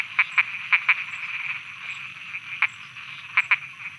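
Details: Frogs croaking at night in Thailand: short, sharp clicky croaks, mostly in quick pairs, scattered over four seconds above a steady thin high-pitched insect drone.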